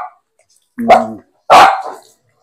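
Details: Aspin kept as a pet, bath time: two short, harsh barks about half a second apart, the first overlapping a person's voice, the second louder and broader.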